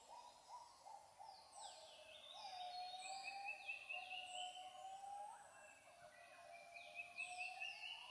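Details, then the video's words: Endangered Siamang calling during the dawn chorus in Royal Belum State Park, Perak, Malaysia, recorded 15 March 2020: a drawn-out series of tonal, gliding notes that swell and rise toward the end, beneath high bird whistles and trills. "the call of the endangered Siamang (Symphalangus syndactylus)"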